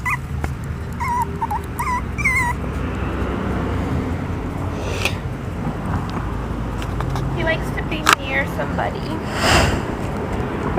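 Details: A tiny nine-week-old Maltese poodle cross puppy, the runt of its litter, gives a series of short high whimpering yips in the first seconds, then quiet rustling, a sharp knock and a person's voice nearby.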